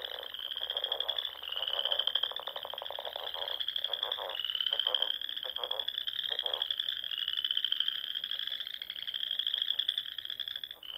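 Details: Springtime frog chorus from small lakes in Nebraska's Sandhills at dusk, a steady wall of high pulsed trills that swell and rise, interrupted by bursts of lower, quick clicking croaks.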